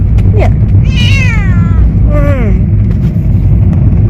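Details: Talkative cat on its first outing, a short squeak followed by two falling meows, the first long and high, the second lower, over strong low vehicle rumble.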